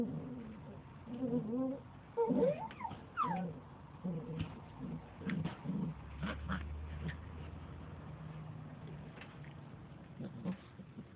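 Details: Standard Poodle puppies, Sara's litter born 25–26 February, playing at the JM.HOUSE dog cafe: thin rising and falling whines early on, then scattered yips and scuffling over a low background hum.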